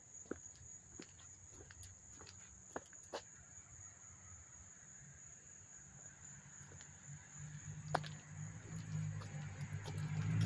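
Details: August 13, 2024 cricket chirping near Hastings-on-Hudson, NY, recorded close by: a steady high trill continues throughout while a low rumble, like a passing vehicle, swells toward the end, with a few sharp clicks.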